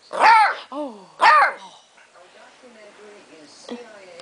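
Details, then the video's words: Pet beagle Charlie, two days after coming home in 2008, vocally protests after his chewing bone is taken away: two loud, arched, howling barks about a second apart with a softer whine between, then quieter low grumbles and faint room sounds. "Charlie and his bone pt. 1"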